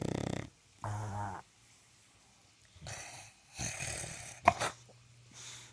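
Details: English Bulldog named Boss Hogg, sleeping around the house, gives rough snorts and snores in uneven bursts, one with a low buzzing, harmonic-rich rattle, separated by quiet pauses, with a sharp click near the end.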